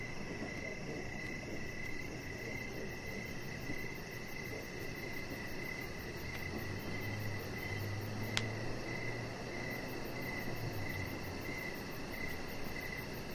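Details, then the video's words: Crickets chirping outdoors near a deck in the evening. Steady pulsed, rather low trills repeat through the whole clip over a constant background hiss, with a low hum midway and one sharp click. "3 Hours Of Chihuahua Puppy Laying On Deck with Cricket Sounds"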